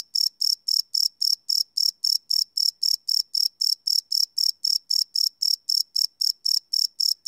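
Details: Crickets at night, recorded live in 24-bit on a Sony PCM D100: bright, high-pitched chirps pulsing rapidly and regularly, close to four each second, continuing without pause; nothing else audible.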